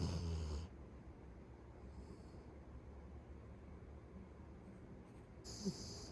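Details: A sleeping pet Beagle snores loudly. A rough, hissy snore with deep rumbling opens the recording, then low steady breathing, and another airy snore near the end.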